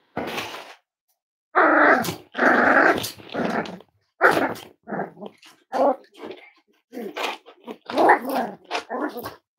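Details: Cavalier King Charles Spaniel puppies, five weeks old, from Myra and Remy's litter, kept indoors: nearly continuous squeaky growls and yappy barks tumbling over one another, a rapid irregular series of short bursts.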